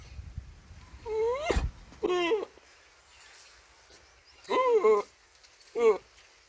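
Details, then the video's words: Goat calls in four separate bursts: quavering, nasal bleats, two long and two short, rising and falling in pitch, with quiet pauses between them and a faint low rumble at the start. "Funny goat sound"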